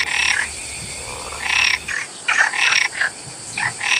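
A frog calls in harsh, rasping bursts, each lasting a fraction of a second and repeated in an uneven series. The calls are high and buzzy, with a steady hiss in the background.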